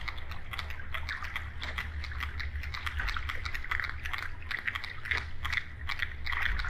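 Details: Irregular sharp clicks from a sperm whale, labelled coda echolocation clicks, tick in uneven clusters with brief gaps, set against continuous deep rumbling and a thin band of hiss throughout.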